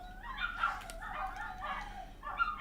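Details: Dogs Athena and Artemis howl after a dog a few doors down began howling. They are not fighting. Soft, wavering, drawn-out howls overlap and rise and fall, with a faint background hiss.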